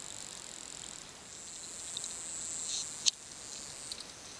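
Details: A wild bottlenose dolphin gives thin, high whistles with a short bending contour and a single sharp click.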